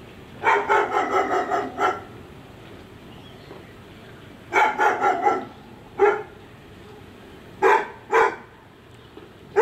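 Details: Dog next door barking, filmed on a Sony FDR AX100: a fast run of about seven barks, then a second quick series, followed by single and paired barks spaced a second or two apart over steady low hum.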